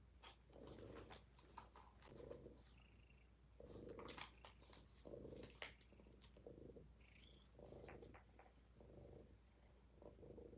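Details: Kittens named Rob, Faye, Fig and Fiona in the Kitten Cuddle Room, purring up close. The low rumbling comes in rhythmic swells about every second, mixed with soft rustling and handling clicks.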